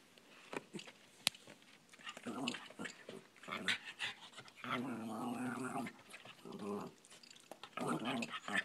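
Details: Cairn Terrier talking to a fly, producing bursts of grumbling, whiny growl-like vocalizations, some drawn out for about a second, with short gaps and a sharp click between them.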